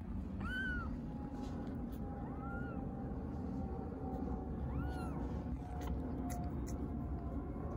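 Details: Hungry stray kittens in Istanbul call for their mother cat with three arched, rising-then-falling meows spaced about two seconds apart, over a steady low traffic rumble and a person's soft voice.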